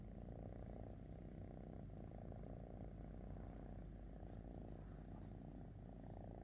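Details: Fifi Kitty, a pet cat, purring contentedly with her owner: a soft, low, continuous rumbling drone held steadily throughout, without breaks, close to the microphone and quiet overall.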